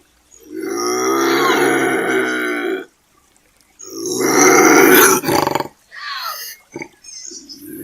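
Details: Bobcat screaming: a long, harsh, wavering wail of about three seconds, a short pause, then a louder, rougher scream breaking into a few shorter strained cries.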